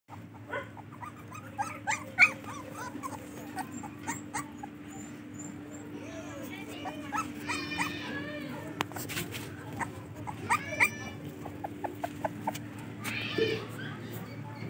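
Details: English Cocker Spaniel puppies whimper and yelp in high, thin bursts over a steady electrical hum.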